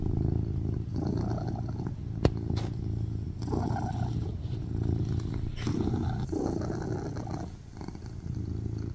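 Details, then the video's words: Baby Charlie the tuxedo cat purring loudly on a lap, low buzzing rumble in breathing cycles, with one sharp click near the start and a softer dip toward the end. "Cat purrs loudly on my lap"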